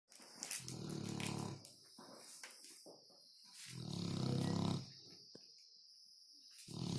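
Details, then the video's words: Dog snoring loudly: deep, rasping, harmonic snores of about a second each, returning every two to three seconds with quieter breathing between, over a steady high hiss. "Funny dog snoring loud"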